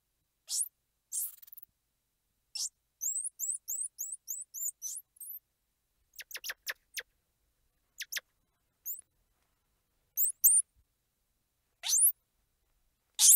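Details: Squirrel monkey noises: rapid rows of tiny high rising peeps and twitters, interspersed with sharp downward chirps and shrill squeals, all very high-pitched and irregularly spaced.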